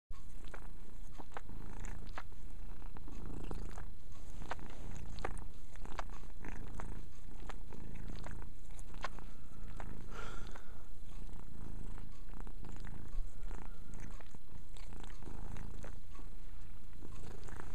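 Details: Domestic cat named Mia purring steadily while cleaning herself indoors; a continuous low rumble with faint licking clicks throughout.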